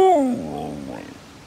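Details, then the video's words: Kenzi, a cheeky female pet husky, indoors, talking back when caught being naughty: one short whiny vocal that slides downward from a high, clear pitch to a lower tone, then trails off into a quieter murmur. "Cheeky husky caught on camera being naughty. Loves to talk about it when caught."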